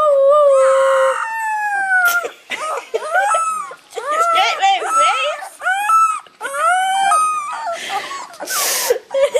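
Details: Three-week-old Rhodesian Ridgeback puppies howl together in thin, wavering, rising and falling notes.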